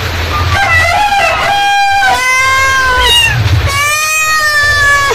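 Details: Mother cat calling to her kittens with three drawn-out meows in quick succession, each rich in harmonics, rising at the start and sliding slowly downward, steady low hum underneath.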